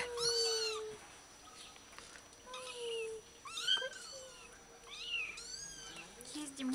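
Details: One-day-old kittens from Bulgaria calling in a quiet room, a series of high, arched mewing cries, about five distinct bursts, with faint music in the background.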